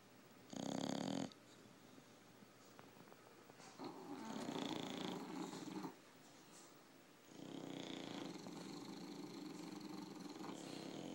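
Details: English bulldogs, a pair of tired dogs, sleeping and snoring. A short loud snort comes first, then two longer raspy snores separated by brief pauses. The breaths are uneven, rough and wheezy.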